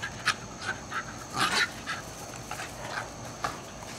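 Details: Two young Jack Russell Terriers, 14 and 15 months old, play fight intensely after a long off-leash walk in Lenexa, Kansas, in July; short sharp snarling and whining bursts, loudest mid-clip, over steady outdoor hiss.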